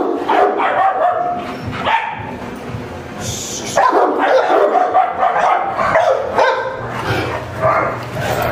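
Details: French Mastiff in a dog kennel in Varanasi, India, barking in deep, rough bursts of two to four barks, about two a second, with short pauses between runs and some background noise.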